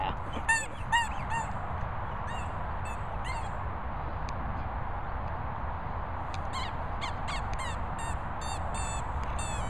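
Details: Pointer named Daisy squeaking: short, high, arched squeaks in quick bursts near the start, again mid-way, then a longer run of repeated squeaks in the last few seconds over steady low rumbling background noise.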